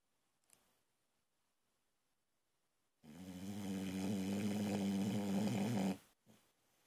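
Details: Loud snore from a sleeping Boxer puppy, a female, indoors; after three seconds of near silence comes one sustained, throaty drone of about three seconds, then quiet breathing.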